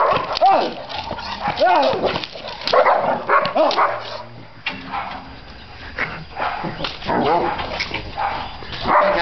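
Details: Czechoslovakian Wolfdog, eight months old, being trained: two high arched yelping barks early on, then repeated rough barks and whines mixed with a man talking loudly in Chinese throughout.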